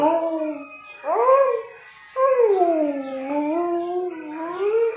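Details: A sleepy Siberian Husky gives drawn-out, wavering howls that swoop up and then slide slowly down.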